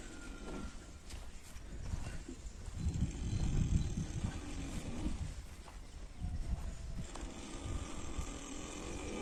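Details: Domestic horses sleeping early in the morning, giving slow, deep, rumbling snores that swell and fade over a few seconds, with a loud stretch in the middle of the recording; faint outdoor background with occasional soft knocks.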